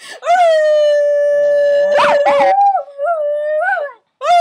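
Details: Puppy holding a long, steady howl, broken by two quick wavering yelps, then a softer howl with small rising bumps before a short pause.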